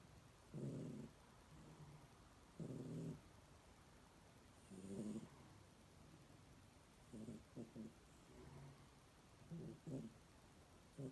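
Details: Domestic cat snoring, with low, buzzy snores about every two seconds, some longer and smoother, others broken into short choppy pulses, in an otherwise quiet room.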